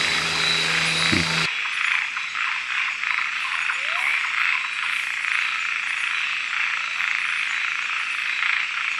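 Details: Frogs calling at night in Kubah National Park, a dense steady high chorus of rapid pulsing calls, with a few words of Dutch speech at the very start and faint rising chirps in the background.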